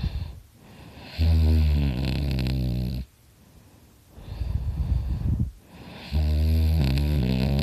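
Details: Loud snores from Dakota, a dog asleep next to his owner: strong vibrating, harmonic-rich inhalations lasting nearly two seconds, broken by breathy rasping exhales and brief silences.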